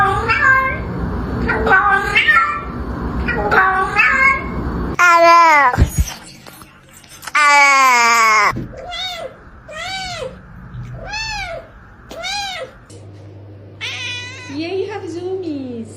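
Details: House cats whose meows are said to sound like English words: a person talks at first, then a series of short, arched meows rises and falls in pitch one after another, ending with a lower wavering meow.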